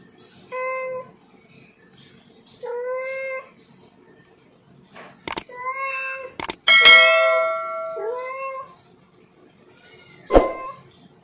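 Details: Cat; mating call; male calling a female during mating season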